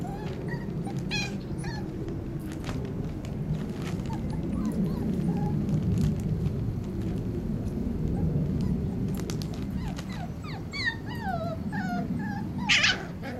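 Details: Tibetan Terrier puppies, five weeks old, with their mother: a few short, high whimpers near the start, then a burst of rising and falling whining yelps near the end over a steady low rumbling background.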